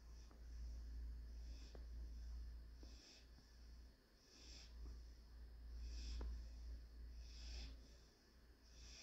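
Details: Sleeping German Shorthaired Pointer puppy Panzer during his daily nap, Tuesday 2/9/21. Rhythmic hissing snorts repeat roughly every 1.5 seconds. A few faint clicks and a low steady rumble fill the room.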